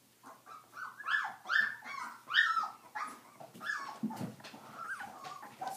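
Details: Stabyhoun puppies at 22 days; a run of strained, wavering whines and yelps, several rising then falling, repeated about every half second, with a lower grunt midway.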